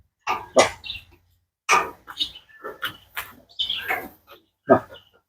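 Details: A dog said to have spent years kept in a cage barks in a series of short, harsh bursts, roughly one each second, with human voices faintly mixed in between the barks.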